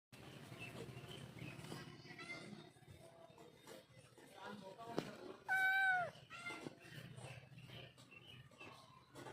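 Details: Domestic cat giving a single clear, loud meow that rises and then falls, lasting under a second, amid ongoing human talking and household background noise.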